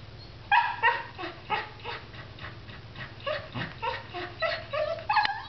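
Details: Excited dog that has seen a squirrel, giving a rapid, continuous run of high yipping barks, about three each second, uneven in loudness, over a low background hum.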